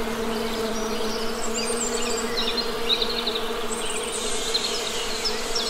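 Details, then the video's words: Steady droning of honey bees in nature, a deep constant hum with a clear overtone band, and scattered faint bird twitters over it. "Best Honey Bee Sound!"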